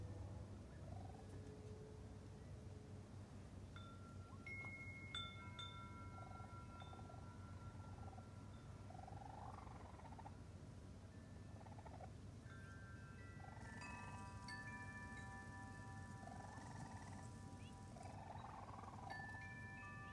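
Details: Raccoon kits out with mother Tantail for the first time, June 22, 2022; soft rounded chirps recur every few seconds beneath ringing wind chimes whose sustained tones dominate the second half, steady low background hum.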